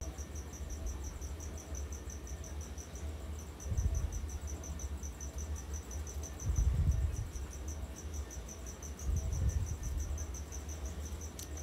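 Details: Crickets kept at home as pet food, chirping in the background: a steady rapid high pulsing trill running throughout, with low thumps and handling noises from a small pet in its enclosure.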